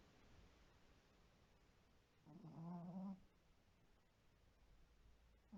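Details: Shiro, a white Pomeranian sleeping indoors, lets out a single droning snore of under a second, a low buzzy hum with layered overtones, set against faint room noise.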